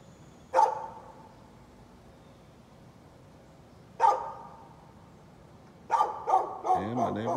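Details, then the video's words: Neighbour's dog barking at about nine on a Friday morning: single loud barks spaced several seconds apart, then a quicker cluster of barks near the end overlapping a man's speaking voice. "Neighbor's barking dog"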